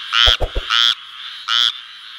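A frog gives a few short, nasal, buzzy croaks with pauses between them.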